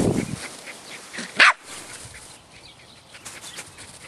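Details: Sadie, a Rat Terrier dog, playing outside in the yard gives one sharp, short bark partway through, then only faint rustling and soft background noise follow.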